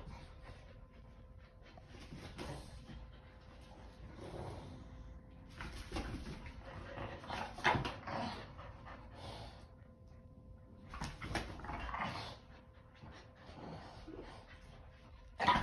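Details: Boston Terrier and Keeshond playing a game of tug indoors, making rough, low, breathy growling bursts in irregular clusters every few seconds, with quieter panting-like stretches and scuffling between them.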